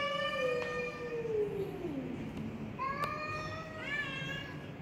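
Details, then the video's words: Persian cat, black, mid cat fight: a long descending meow gliding down over two seconds, followed by rising whiny meows with clear harmonics, over a constant low hum. "Feline Debate: When Meows Get Intense!"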